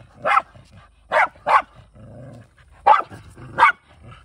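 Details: A hunting Shiba Inu, Kai, a male dog living in the countryside with other dogs. Five loud, abrupt barks arrive in two clusters, with a brief quiet low rumbling sound in the middle.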